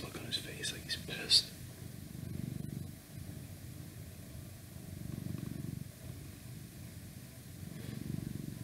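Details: House cat purring after a brief burst of human whispering at the start, then a soft low rumble pulsing in even breath cycles about every three seconds.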